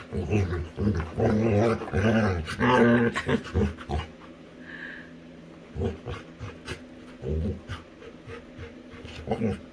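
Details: Female Labrador retriever playing with her owner indoors, making a run of low rumbling growls and grunting pants for about four seconds, then quieter breathy sounds with a person's voice.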